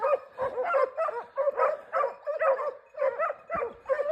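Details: Segugio Italiano hunting hare in a Cyprus forest gives a steady run of yelping bays, about nine sharp, rising-then-falling cries in four seconds, each short and evenly spaced, with little background noise.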